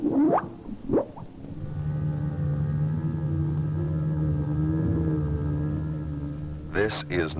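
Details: A humpback whale off Maui, Hawaii, in winter gives a non-song sound: a low, even drone holding steady for several seconds, remarkably like an idling outboard motor, with narration briefly before and after.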